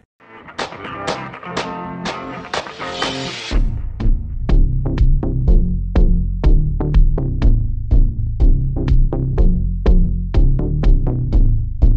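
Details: Upbeat electronic music with plucked guitar and a steady drum-machine beat fills the whole stretch, with no animal sound present.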